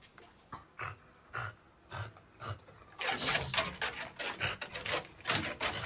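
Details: French Bulldog panting in quick rhythmic breaths, soft and evenly spaced at first, then louder and rasping in the second half.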